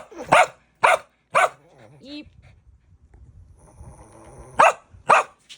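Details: Pet dog barking while being told to wait for a treat during a sit-and-stay routine: sharp broadband barks in pairs and threes, about half a second apart, with a short whine between and a woman's Korean commands.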